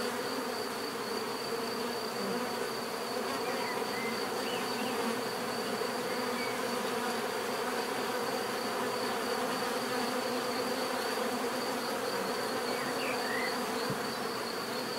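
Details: A long, even drone of buzzing bees without breaks, with a few faint, brief bird chirps scattered in the background.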